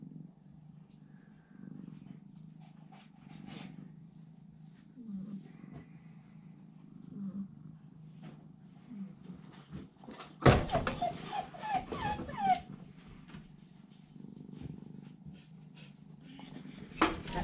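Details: A British Shorthair kitten about 2½ weeks old, taking its first stumbling steps, keeps up a soft, low, continuous purr. A brief burst of louder, higher mewing comes with rustling handling noise, then the quiet purring resumes.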